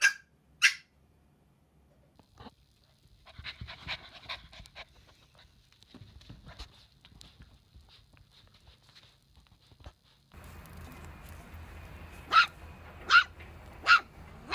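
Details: Puppies: scattered short high yelps, a cluster of soft whining noises in the middle, then four sharp yips about a second apart near the end over a low background hum.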